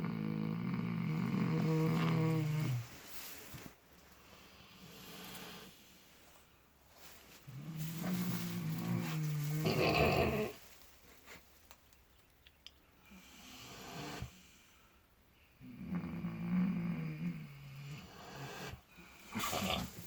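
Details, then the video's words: Two miniature potbellied pigs sleeping in fresh straw snore in long, low, rumbling breaths about every seven seconds, seemingly dreaming. "Dreaming Snoring Miniature Potbellied Pigs"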